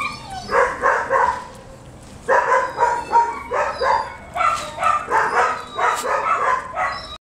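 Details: House dog eager to be picked up, letting out bursts of short sharp yips in quick groups of three to five, with brief pauses between the bursts.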